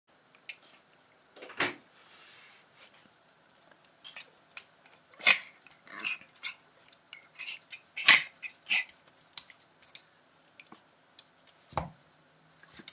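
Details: Two Schipperke dogs fighting with each other: short, sharp, noisy yelps and snaps in irregular bursts, the loudest near the middle and later in the sequence, with quiet scuffling in the gaps between.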